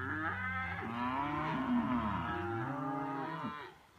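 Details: A herd of cows, reacting to passing hikers, moos together in a low, overlapping chorus of drawn-out, wavering calls.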